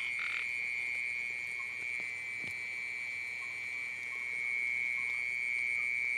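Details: Small frogs calling at night during rain and flooding; a steady, high ringing chorus runs unbroken throughout, with a brief louder rasping burst at the very start and faint scattered clicks.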